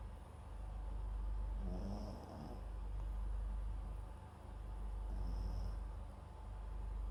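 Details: Sleeping MAX, a Papillon crossed with a Japanese Chin, recorded from a microphone set at its side; quiet nasal snores come roughly every three seconds against a low background rumble.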